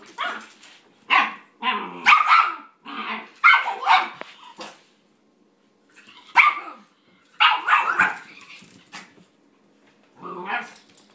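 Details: Dogs at play indoors: a nine-week-old German Shepherd puppy trying to get an unimpressed eleven-year-old toy poodle to play. Harsh, rough barks and growly yaps come in quick bursts of two or three, separated by short silences.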